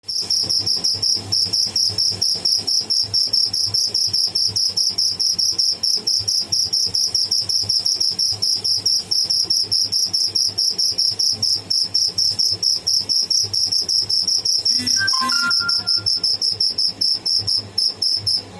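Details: Live cricket, locally called tidda, making noise: a steady, very high, rapidly pulsed trill continuing through the whole recording, with a brief whistled sound from another source midway.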